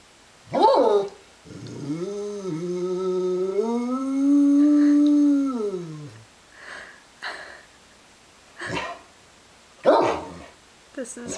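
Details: Pet dog howling indoors in reaction to sirens heard outside: a long, smooth, harmonic howl that rises, holds steady, then drops away, followed by short sharp yelps, with background music and a person speaking.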